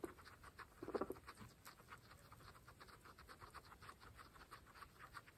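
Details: Pregnant pet guinea pigs eating fresh grass: a brief low squeak-like grunt at one second over busy crisp crunching and nibbling clicks.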